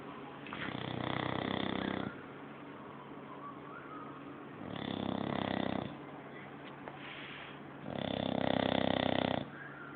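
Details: A sleeping English Bulldog snoring in three heavy, rumbling, buzzy bursts, each lasting one to two seconds and separated by softer breaths.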